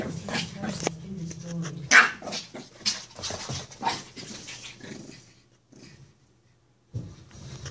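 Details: A 16-week-old purebred Shih Tzu puppy play-fights a stuffed toy dog, growling and snarling in low, rumbling bursts, with a person talking over it.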